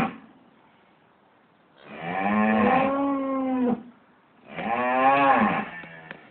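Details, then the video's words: Morning in a farmyard, cattle due for slaughter the next week calling noisily: two long moos separated by a pause, the first sustained and level, the second arching slightly up and down. "Baying Cows"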